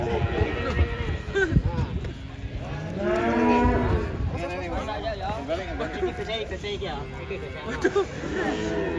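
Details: Cattle being unloaded from a truck, with one animal described as agitated. Loud, drawn-out harmonic moos rise and fall over several seconds, overlapping one another, with some human voices in the background.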